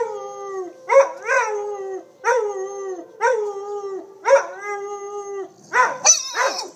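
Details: Pandora and Winston, two pet dogs, howl along with tornado sirens: a series of falling, wavering howls about once a second, each opening with a sharp yip, ending in a higher yelping burst.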